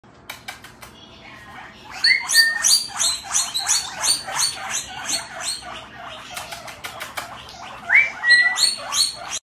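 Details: Pet guinea pigs wheeking indoors: after a few quiet taps, a rapid run of high, squealing calls repeated about three times a second, rising and falling in loudness, with brief whistled notes between them.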